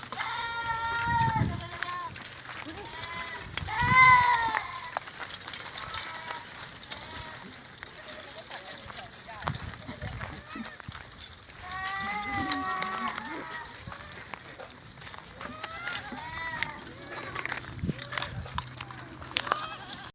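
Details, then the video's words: Goats on a goat farm, bleating in wavering, nasal calls repeated several times across the recording, some loud and close, with people talking and outdoor background noise. "Goat farm"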